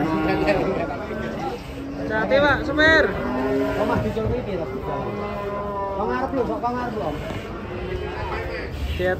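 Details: Cattle coming off a swaying truck call in several overlapping bellows, a few sharp, strained moos rising and dropping, against background talk and mechanical noise.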